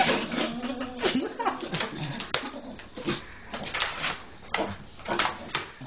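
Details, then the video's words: Rufus, a dog, makes odd, irregular whining grumbles and huffy bursts, some with a low tonal moan, in a quiet indoor room when he wants out of bed. "odd noises when he wants out of bed"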